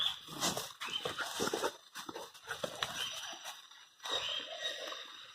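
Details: Playful Presa Canario puppies, 100 days old, trade throaty growls and muffled yips in a dense, continuous tussle, with scraping and shuffling sounds and a few sharper cries.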